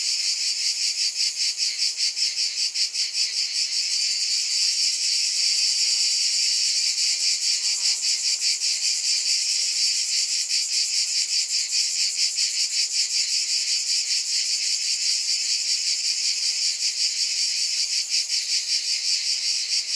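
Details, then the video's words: Continuous shrill cicada buzzing fills the whole stretch, a hissing wall of insect sound with a gentle, slightly uneven pulsing beat and nothing else clearly heard. "Scintillating Cicadas"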